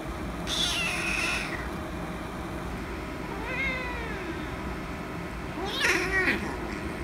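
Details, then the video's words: Kitten angry because another cat is annoying it: a harsh drawn-out meow, then a short wavering whine and a final strained caterwauling cry, over a steady background hum. "Kitten Angry Because Cat Is Annoying"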